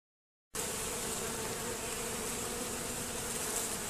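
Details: Honey bees robbing at a hive entrance fitted with a Z-shaped screen and reduced entrance; a dense, steady swarm buzz with a low hum near the bottom and a bright hiss above, continuous after a brief silent start.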